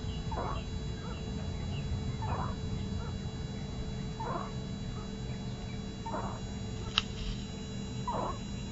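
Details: Sick pet kitten giving short, strained calls repeated about every two seconds, five in all, over a steady low hum and background noise, with one sharp click near the end.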